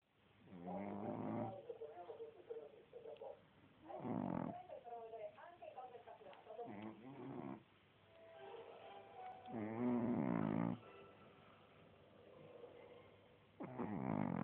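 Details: A female Boston Terrier snores loudly in deep, rasping, trombone-like bursts, with a woman's voice speaking in between.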